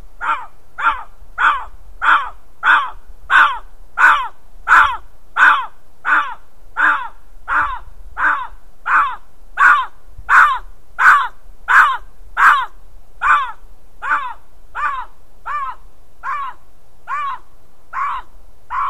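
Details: Bobcat recorded in June–July 2020 calling persistently: a long, steady series of about two dozen harsh, hoarse barking notes, each under half a second, repeated roughly every 0.7 seconds, fading slightly toward the end, over quiet background.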